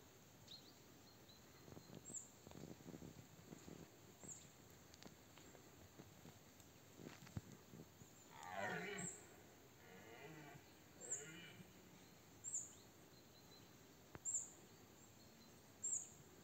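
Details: Red deer stag roaring during the 2024 rut, a powerful stag about 50 m away: one loud, rough, harmonic roar sliding downward mid-way, then two shorter hoarse bellows, with faint clicks and rustling in the quiet background.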